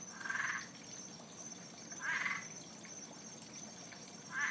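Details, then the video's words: An unseen frog living around a pond in the Fort Lauderdale area gives short, rasping croaks about every two seconds over a steady high hum; it makes this sound every night. "What kind of frog is this.... By sound only sounds like he"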